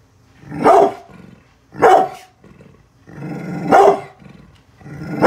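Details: Guarding the house from construction workers, Bullet the brindle pit bull alternates raspy growls with forceful barks, four bursts in quick succession, some doubled.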